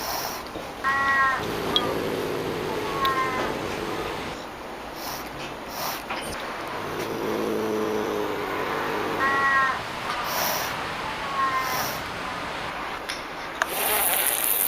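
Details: Pallas's cat, or manul, a rare small wild cat, giving several drawn-out, low, harmonic meowing calls spaced a few seconds apart over steady background hiss.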